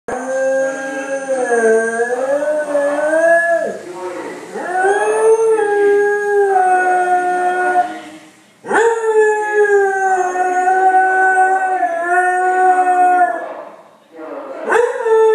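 A beagle howls in long, wavering notes that swoop up and down and pause between breaths.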